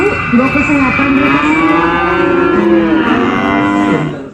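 A cow gives one long, steady moo lasting about four seconds, rich and nasal.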